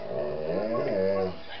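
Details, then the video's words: Samson, a pet Boxer playing at chasing shadows and flashlights, answers with a drawn-out voiced grumble lasting just over a second. It rises then falls in a throaty, talking-like moan, followed by a person speaking. "Talking boxer dog."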